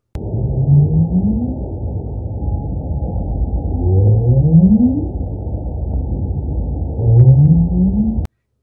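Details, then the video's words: A right whale gives three low, rising up calls, each a smooth upward sweep lasting about a second; low-frequency calls thought to bring whales together. "the next sound is from a right whale and we think these are sounds that are used to bring whales together this is called an up call"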